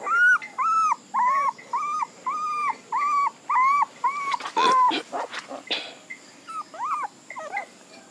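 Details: Puppy whining in a steady series of flat, drawn-out high cries, each about half a second long with short gaps, followed by a burst of scuffling noise and a few softer bent whines.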